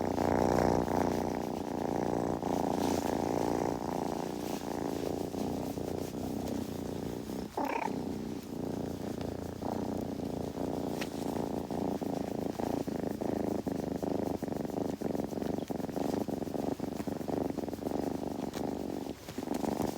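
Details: Kitten purring close up indoors, a steady low rumbling purr that runs unbroken for the whole stretch with a soft pulsing rhythm, a brief higher squeaky sound rising near the middle, no other voices or noises.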